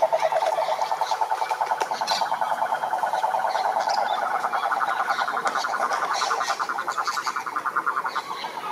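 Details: Wild cururu toads, Rhinella marina, calling at a lake in Brazil's Atlantic forest: several overlapping pulsed trills, low and rapid like a purring rattle, running steadily throughout with faint higher insect-like buzzing behind.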